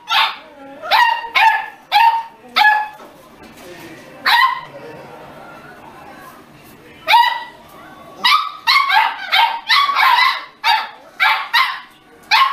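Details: Pet Beagle barking in short sharp bursts, several barks in quick clusters separated by pauses, with one drawn-out bark near the middle; indoor setting.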